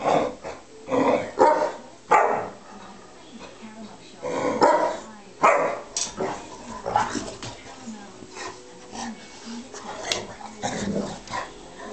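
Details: A bearcoat Shar-Pei called Sophie badgering a Tibetan Mastiff called Flynn into playing: gruff growl-barks in quick clusters at the start, then scattered softer grumbles with a human voice faintly in the background.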